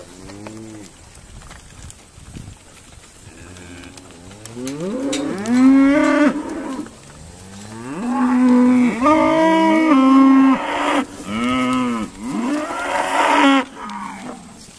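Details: Irish Dexter cows on a noisy sorting day at Stone Meadow Farm; quiet distant lowing builds into a string of loud overlapping moos, some short and rising, others held, from several animals.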